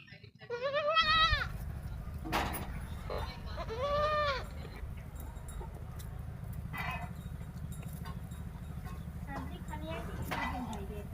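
A young goat gives high, wavering bleats over a low engine-like hum and nearby voices.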